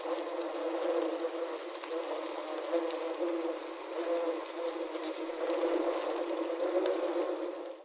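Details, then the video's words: Inside a wasp trap, the trapped wasps keep up a thick, wobbling hum of overlapping tones, pulsing louder around the sixth second. Recorded on a Zoom H6 with a Korg CM-300. "Wasp Trap Soundscape | Ambient Sounds of Wasps Trapped Inside"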